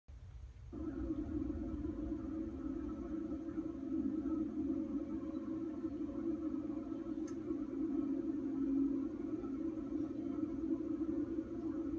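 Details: A steady low drone with faint sustained tones fills a small indoor room, with a brief click near the middle and no animal voice.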